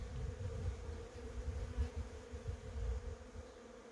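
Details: A brief stretch of steady honey bee humming among cherry blossoms, partly covered by heavy, fluttering low-pitched rumble.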